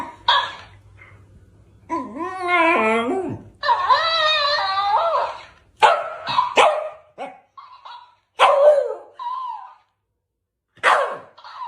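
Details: Pet dog vocalizing indoors in a small room: wavering, whining yelps rising and falling over a few seconds, followed by a run of short, sharp barks and yips with pauses between them.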